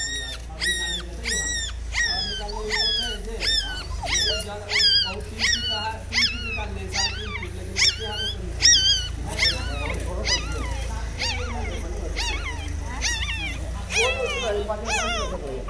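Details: Mother dog with one-day-old newborn puppies: high, shrill whimpers rise and fall in a steady run of about seventy-seven cries a minute, each with a bright sliding pitch, over a low background hum.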